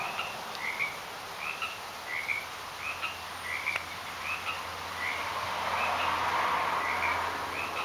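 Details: Garden frogs calling in short chirped notes, about two per second, forming an even running chorus across the whole stretch over constant broadband background hiss.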